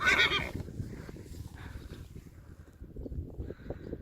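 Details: Neighing Friesian horse Lieke, from a herd, calling Mama as Reintje comes back to the pasture after a dressage competition; a loud, high, wavering whinny lasting half a second, followed by quiet thuds and faint rustling.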